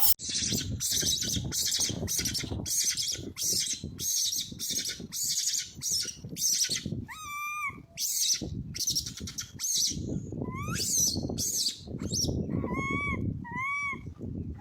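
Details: Lost baby monkey, with its brother, crying loudly for its mother: a run of rapid harsh screeches, then clear whimpering notes that rise and fall, some repeated in quick pairs, with scuffling noise below.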